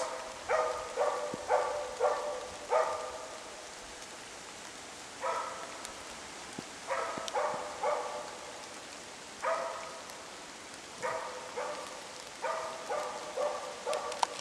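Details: Zakko holds a moose cow and calf at bay during a Swedish moose hunt, later abandoned at darkness. Clusters of two to four rapid barks alternate with short gaps as rain falls.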